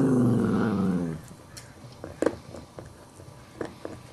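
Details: A Chihuahua gives a low, harmonic growl that slides slightly downward, then stops, leaving soft knocks and clicks; an adult dog refuses to give up a bone while a small Chihuahua puppy tries to take it.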